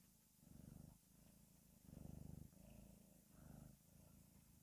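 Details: Steady low purring from a cute pet cat, deep vibrating rumbles pulsing in rhythmic swells about once per second, closely recorded over a soft hissy background.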